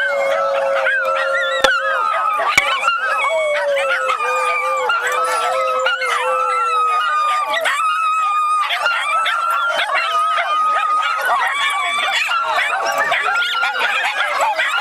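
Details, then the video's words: Several Miniature Schnauzers at a schnauzer get-together in the Seattle area howl together in overlapping, wavering tones that slide up and down, one dog's howl setting off a pack howl as others arrive. "Miniature Schnauzer Howling Party"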